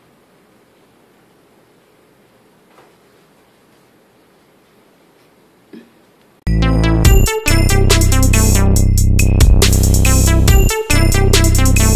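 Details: A quiet room with a couple of faint knocks gives way after about six seconds to loud electronic music with a driving drum-machine beat and synthesizer, with no animal voice audible.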